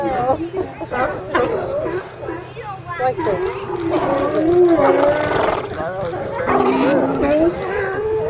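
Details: Crowd of California sea lions calling from their haul-out pile. Rapid, quavering harmonic barks overlap, with a long wavering groan in the middle and continuous background barking.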